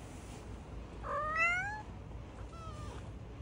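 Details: Domestic cat meow indoors from a household with a calico mix acting as foster mother and a brown tabby kitten named Lulu: one clear, rising, harmonic meow, then a softer, shorter second meow over low background hum.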